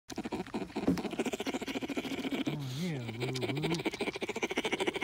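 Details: Baby bear cub sucking its paw while drifting off to sleep, giving a low, wavering hummed tone of about a second with rising and falling pitch, over a steady wet sucking patter.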